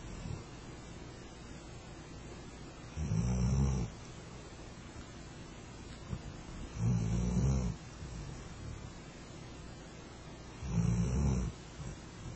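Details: Flat-coated Retriever asleep under a kotatsu, snoring: breathy, roaring low rumbles, each lasting about a second, repeated roughly every four seconds, with quiet breathing in between.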